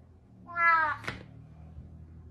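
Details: A pet cat trying to get its owner out of bed in the morning lets out a short rising-then-falling meow, followed by a sharp click and low room hum.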